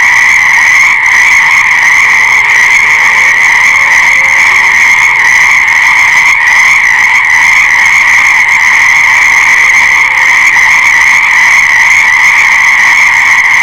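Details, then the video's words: Massed frog chorus forming a constant, buzzing drone of overlapping croaks, with faint low tonal sounds drifting underneath. "Fascinating Frog Sounds"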